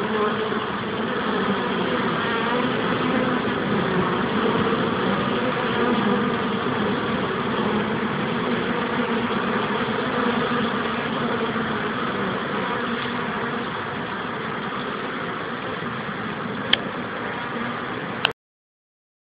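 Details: Honeybees returning to their hive make a dense, steady droning hum with layered tones, continuous and unbroken for about eighteen seconds before cutting off abruptly.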